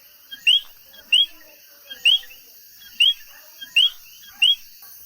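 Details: A chorus of common coquí frogs in Puerto Rico gives loud, rising whistled notes about once a second over steady insect hiss.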